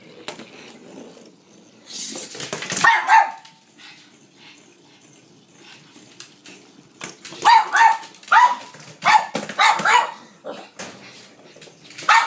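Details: Blind pug playing fetch indoors, chasing a noisy battery-operated ball; a few quiet stretches broken by clusters of sharp barks near the start and again toward the end, with rustling play noise.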